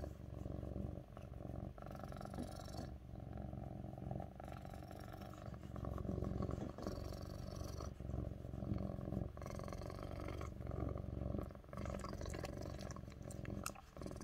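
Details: Lynx point (tabby point) Siamese cat named Mićo purring loudly while resting on a person's lap; steady low rumbling drone throughout with occasional brief clicks and rustles.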